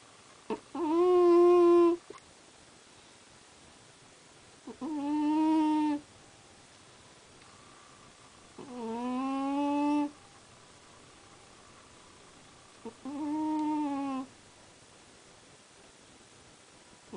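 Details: Sleeping cat snoring, giving four drawn-out, humming, harmonic-rich tones about a second long each, spaced roughly four seconds apart at an even, quiet level, with no other sounds.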